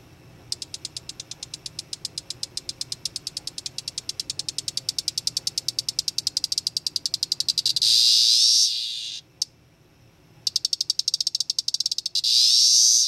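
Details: A captive male 13-year Cassini periodical cicada (Magicicada tredecassini) of Brood XIX calls from a terrarium, recorded May 23 around 7:04 pm after capture as a teneral on May 14 or 15: a fast run of high ticks ending in a loud, harsh buzz.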